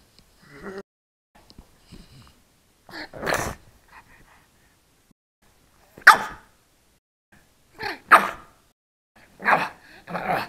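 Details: A three-month-old pug puppy trying to bark, recorded on an SJ4000 camera: a series of short, snorty, sneeze-like barks and huffs spaced about two seconds apart, with quieter snuffles between them.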